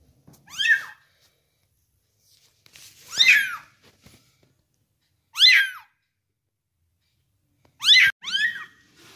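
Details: Young kitten, about one month old, during feeding, calling with four bursts of high, harmonic meows, the last a quick double call, separated by silent gaps.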